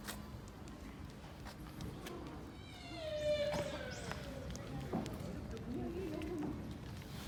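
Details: Minami-chan, a sika deer fawn at Nara Park by Tōdai-ji's Nandaimon gate in Nara, Japan, gives one drawn-out, nasal bleat that slides downward in pitch, set against murmuring voices of nearby people.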